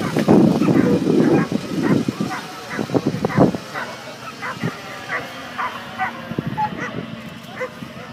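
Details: Ibizan Hounds at the Tampere International coursing event, Nordic championships, 14 July 2013: loud, rapid barks open the recording, then fainter scattered yips continue while people talk nearby in an open outdoor setting.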